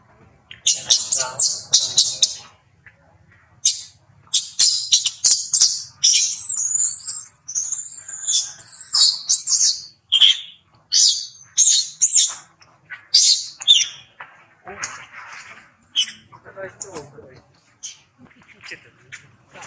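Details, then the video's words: Infant monkey Rex cries loudly as his mother Rose repeatedly rebuffs him during breastfeeding: shrill, high-pitched squeals in quick bursts separated by short gaps, with wavering, wailing notes midway. "Rex Cry Loudly"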